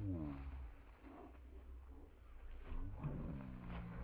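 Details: Puppy Zooka, in week 13, playing with Willy, a much larger dog; low rumbling play growls with harmonic groans at the start and again near the end, under continuous low background noise.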